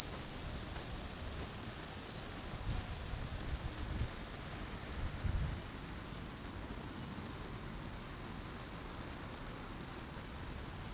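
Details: Summer chorus of cicadas in a park in Saitama City, recorded binaurally in August: a dense, continuous high-pitched hiss of massed insects holding steady throughout, with no breaks or other clear sounds.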